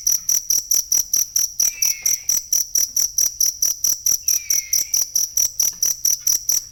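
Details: Cricket chirping, recorded as masteran material for training songbirds. High, shrill pulses repeat steadily about four times per second throughout. Two faint, brief falling whistles appear in the middle range near two and four seconds.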